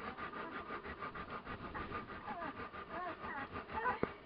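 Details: One-week-old Komondor puppies from a litter born 13 March 2018 whimper with soft, thin squeaks that rise and fall in quick, overlapping bursts.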